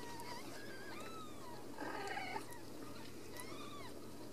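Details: Ragdoll kittens raised uncaged in a home cattery in central Kansas give several thin, high mews that arch up and down, some overlapping, in quick succession over a faint steady low hum.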